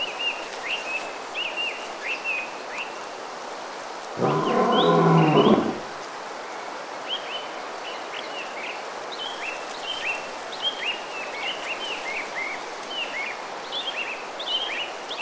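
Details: Bengal tiger in the Sundarbans mangrove forest of India, one deep roar lasting about a second and a half, rich in low harmonics, breaking through a steady backdrop of repeated chirping birds and soft forest hiss.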